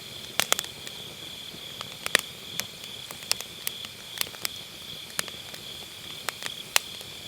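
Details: Grass insects on an autumn night beside a campfire in a round fire pit, recorded with an MKE600 microphone using low-cut: a steady, unbroken high-pitched trill runs throughout, punctuated by sharp crackles and pops from burning firewood.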